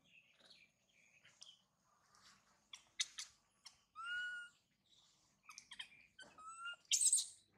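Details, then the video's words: Young monkey Mila, bitten and mistreated by her mother, gives thin, clear squeals with a sliding whistle-like tone, broken by short sharp clicks and ending in a harsh piercing shriek. "The crazy mother monkey bite and mistreat poor baby Mila, Mila very crying loudly"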